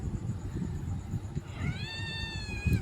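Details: Kittens fighting; one gives a drawn-out meow that rises then gently falls, with strong harmonics, over loud low rumbling and scuffling noise.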